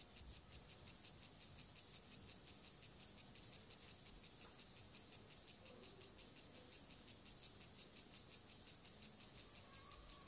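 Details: Siberian grasshopper male singing its courtship song to a female, part of elaborate mating behaviour; clean, highly regular series of buzzy high-frequency rasps at about two per second, no other clear sounds.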